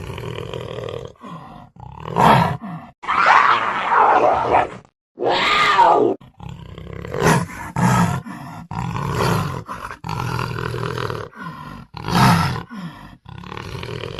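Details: Panther roar in 8D audio: a series of low, gravelly roars and grunts of varying length, some short and explosive, others drawn out and groaning, with brief pauses between them.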